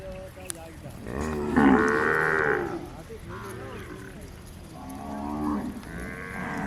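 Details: A desi Kankrej cow from Rajasthan gives a long, rising-then-falling moo, followed by shorter, softer lowing calls.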